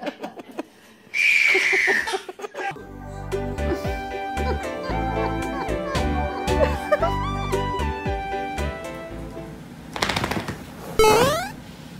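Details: Upbeat instrumental music with a baby laughing and giggling and brief speech over it.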